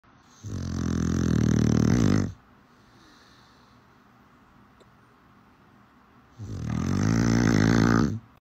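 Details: Sleeping dog snores loudly indoors: two deep, rumbling, harmonic-rich breaths, each lasting nearly two seconds and spaced about four seconds apart, with near quiet in between.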